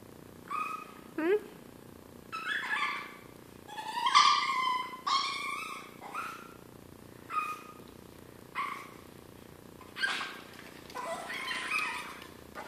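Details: Hungry pet Chihuahua crying before breakfast, as it does before every meal: a series of soft, high, tonal whines, some rising and others wavering, repeated in short bursts roughly every second or two, with quiet room background.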